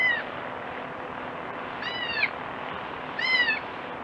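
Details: Three high, tremulous bleats from a crying goat kid, spaced about 1.5 seconds apart, each slightly downward-curving with stacked overtones, heard over constant hiss.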